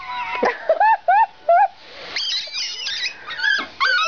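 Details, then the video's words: Chihuahua squealing while throwing a fit: a run of short high rising squeaks, about four in quick succession, then strained, wheezy cries with a woman's soothing voice heard nearby. "Squealing chihuahua"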